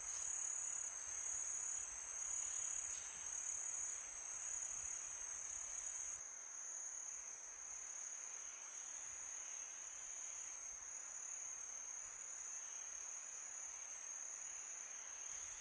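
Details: Summer-night crickets keep up a sustained shrill trill on one high note, a second fainter trill layered just above it; wind gusts louder for the first six seconds, then settles quieter.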